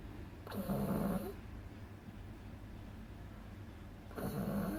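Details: Agatha, a two-month-old beagle pup, snores loudly while sleeping. A gravelly, vibrating snore opens the clip and a second follows almost four seconds later, with soft, quiet breathing in between.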